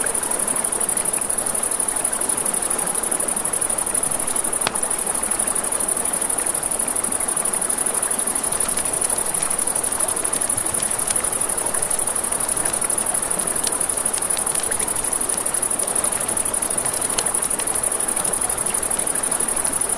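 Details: Crickets chirp nonstop at night near a river in a bright, fast-pulsing high buzz, with the river's constant rush below, frequent fire crackles, and one sharp pop near the five-second mark.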